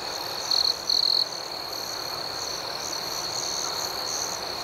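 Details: Nighttime crickets trilling continuously in a high, shimmering chorus. Two louder, closer trills stand out briefly near the start, over faster pulsing chirps higher up.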